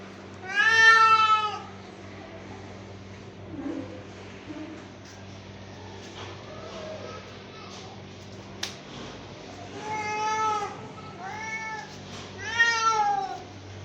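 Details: Angry domestic cat: a loud drawn meow, then quiet stretches with faint murmuring and a sharp click, followed by three more short arching meows near the end, over a low hum.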